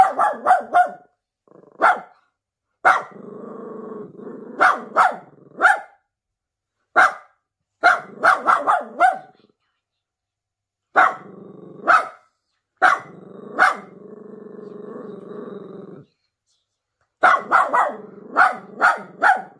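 A Miniature Pinscher barks sharply and nervously in quick bursts, with low rumbling growls between.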